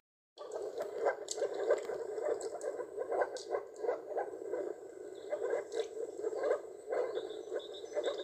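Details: Moor frogs in a Polish town, calling during a breeding season of one to two weeks when the frogs can turn pink or blue (here pink), giving soft, hollow, bubbling notes in rapid overlapping runs from several animals, with faint splashing.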